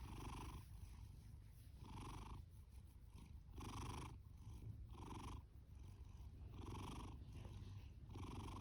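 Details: Loud snoring and purring from Fasu, a male orange tabby rescue cat born October 2019, adopted from a shelter July 2020: a steady low rumble with hoarse breath bursts returning roughly every one and a half seconds.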